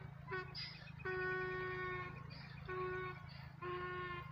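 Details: Donkeys meeting, braying in a see-saw pattern: short high wheezing bursts alternate with long, low, honking harmonic tones. The cycle repeats about three times in four seconds over a steady low hum.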